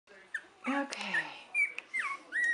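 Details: Three-week-old puppies from Buttercup's litter, filmed in 2015, give short high whines and squeaks, some falling in pitch, amid rustling and a person's soft talk.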